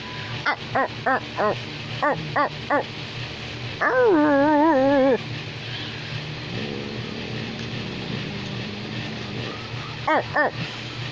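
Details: American Pit Bull Terrier barking: a quick series of sharp, evenly spaced barks, then a drawn-out, wavering, whining howl lasting about a second, quieter background, and a final pair of barks near the end.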